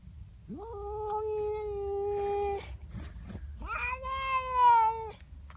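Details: Unhappy female house cat in the morning, howling at a neighbour cat intruding in her garden: a steady, flat, low wail, then a louder, wavering, higher yowl.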